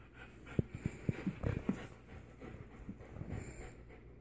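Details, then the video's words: Alaskan Malamute inviting another dog to play tug-of-war: a burst of short, low, huffing grunts and puffs clustered in the first two seconds, then softer, steady panting breaths with faint background hum. "Alaskan Malamute says lets play tug-a-war"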